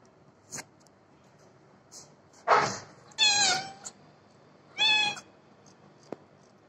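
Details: Domestic cat giving three loud, harmonic-rich meows in quick succession, the middle one long and slightly falling, with brief clicks and soft noises between calls in a quiet small room.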